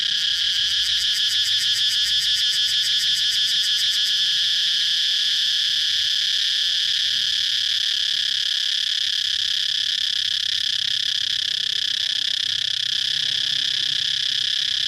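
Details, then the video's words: Chirping cicada, opening with about four seconds of rapid pulsing overlaid on a loud high buzz, then settling into a continuous, even drone that carries on to the end. "cicada chirping sound"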